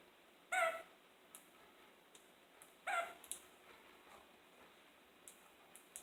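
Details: Kakariki inside a kitchen: two brief, sharp nasal squawks about two and a half seconds apart over a quiet room hiss, with faint clicks and small knocks between them.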